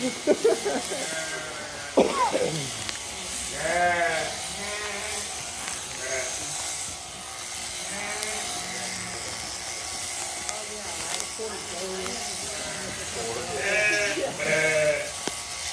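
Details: Sheep being sheared, giving wavering, quavering bleats in short bursts, one early and a pair near the end, over the steady buzz of electric shears, clattering handling noises and occasional human voices.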